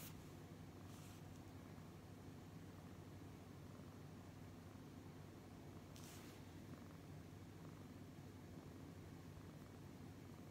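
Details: Brown tabby cat purring while being petted: a steady, low, pulsing rumble runs throughout, with two short rustling bursts of fur or hand movement near the first and sixth seconds.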